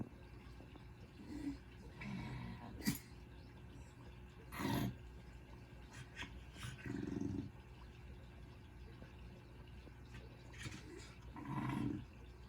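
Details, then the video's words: Willow, a very relaxed, overweight female dog, snoring: low, rumbling breaths rise and fade in soft bursts every few seconds, with a sharper click between them over a quiet room hiss. "Willow Snoring"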